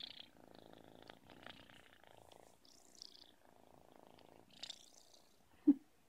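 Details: Purring from Lena, a baby Russian Blue cat, a buzzy low rumble in rhythmic bursts with short gaps for breath, a quiet rustle and a sharp click near the end.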